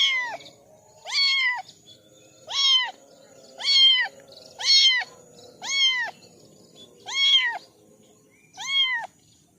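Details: Kitten, one of four, calling with insistent high meows that rise and level off, eight cries spaced about a second apart in a quiet room.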